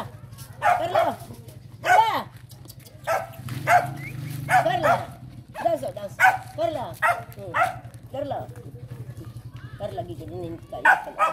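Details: Several pet dogs in the Philippines bark during a training session with their owner, sharp barks repeated in bursts roughly every second, with a woman's voice speaking among them.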